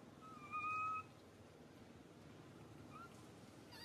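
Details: Baby monkey Suca crying out loudly in pain after being grabbed by Susan: a single steady, high, whistle-like cry lasting about half a second, then quiet background hiss with a faint short squeak near the end.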